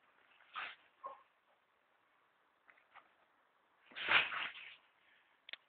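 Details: Archie, an Airedale Terrier, barks at a goat: two quick barks early, a long gap, then one loud drawn-out harsh bark followed by a brief sharp yap.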